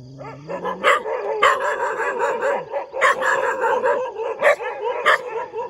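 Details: Dog barking in the morning: a dense, continuous run of sharp, harsh barks about every half second, mixed with high whining yips and wavering howl-like tones underneath.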